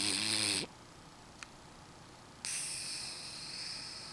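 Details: A sleeping French bulldog lets out a rattling snore that rises in pitch, then falls silent apart from a tiny click, before a long airy hissing breath starts.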